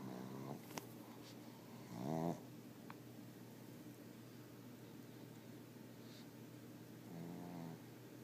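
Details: Sleeping pug snoring very loudly: short rattling, rasping snores, three of them spread across several seconds, one louder burst near the middle, over a steady low hum.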